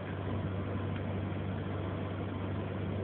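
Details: A steady, low, engine-like hum with a dense noisy texture runs throughout, cut off above the mid range, with no animal voice.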